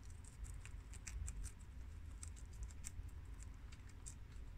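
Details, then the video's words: Pet guinea pigs Shiro, Crash, Cookie and Peanut crunching freshly washed romaine lettuce from the garden; brisk crackly chewing clicks, clustered and uneven, with a soft low background rumble. "Adorable Guinea Pigs Eat Romaine Lettuce for 10 Minutes!! Cute Munching Sounds!!"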